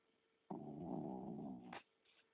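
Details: Pet dog snoring while sound asleep indoors, his feet twitching: one long, rough, low rumbling breath lasting over a second that stops abruptly, then faint room hum.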